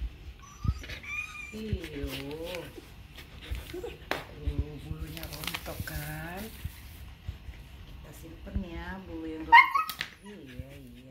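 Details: Female Siberian Husky named Grace, protesting while her shedding coat is brushed: a string of drawn-out, arching, whiny yowls that rise and fall in pitch, broken by short pauses, with a woman talking softly between them.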